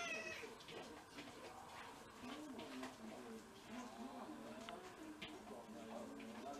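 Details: Pet cat in a Japanese home with six mixed-breed cats, February 2023 on the day of first snow, making a run of short meows and wavering calls, with human voices mixed in throughout.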